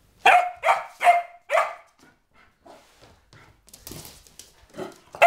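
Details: Sophia, a four-month-old springer spaniel puppy, going slightly crazy: four sharp, loud barks in quick succession, then quieter yips and scuffling noises, ending on another bark.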